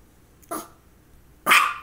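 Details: Barking from a female dog having focal seizures, one shortly before and one soon after: two short, bright barks about a second apart, the second louder and harsher, against near silence.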